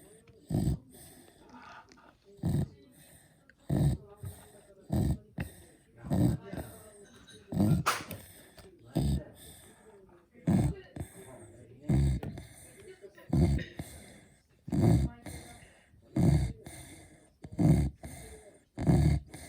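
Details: A Beagle dog snoring in steady, rhythmic low rumbling bursts, about one every 1.4 seconds, each short and throaty with quiet gaps between breaths.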